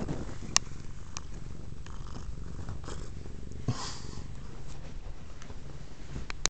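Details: Female domestic cat purring indoors while interested in a cord hanging from a Kodak M1033 HD camera; a steady, low, rumbling purr runs unbroken through the recording, with a few faint clicks and taps.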